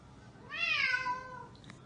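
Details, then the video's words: Domestic cat giving one drawn-out meow, a clear harmonic cry that rises slightly then slides down over about a second, in a quiet indoor room with faint background murmur. "Funny Cat Videos"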